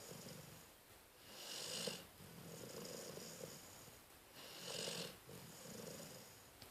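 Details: Sleeping dog Cleo snores, recorded 12-12-13: two long, soft, hissing breaths about three seconds apart, each a raspy inhale followed by a quieter exhale, in a still room.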